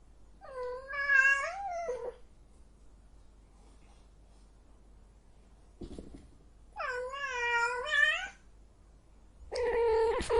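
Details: Female cat in heat caterwauling: long, loud, strongly harmonic wails that rise and bend, two sustained cries of over a second each separated by silence, then a third beginning at the close, with a soft noisy thump between.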